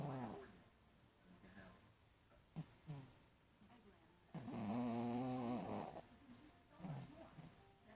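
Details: Sleeping, tired dog gives one loud, drawn-out rattling snore of about one and a half seconds, surrounded by quieter wheezy breaths and soft snuffles.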